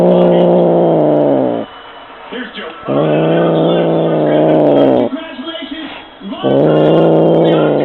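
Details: A male F6 Bengal cat playing with his favourite feather wand toy gives three long, low, moaning growls, each one or two seconds long with short pauses; faint background noise fills the gaps.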